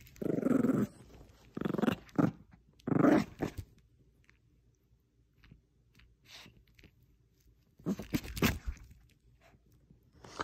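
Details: Indoor tug of war between a female Bichon Frise and a little stuffed squirrel: three throaty growls in quick succession, then quiet with light rustling, and a burst of scuffling noise near the end.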